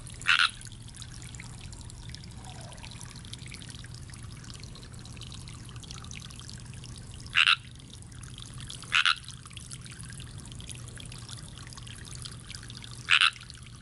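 A tree frog gives short, raspy, high-pitched croaks, spaced several seconds apart over a steady low hum.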